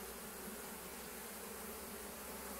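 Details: Steady low droning of a crowd of honey bee foragers bringing in willow pollen, 18 March, about 11 a.m.; the massed wingbeat hum stays even and rich with no pauses.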